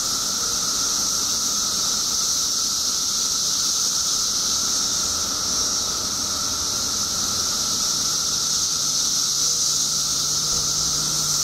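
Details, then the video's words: Periodical cicadas in a mass emergence after 17 years underground, Illinois: a dense, unbroken high hissing chorus with a steady lower droning band beneath, constant in loudness, and a faint low hum toward the end. "Periodical Cicadas Emerge After 17 Years Underground Cicadas Making Noise"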